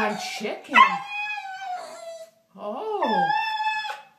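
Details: Pet dog 'talking' with a short whiny yelp that stretches into a long, steady, high howl, then after a brief pause a second howl that swoops upward and holds a clear tone, with faint speech-like sounds at the start.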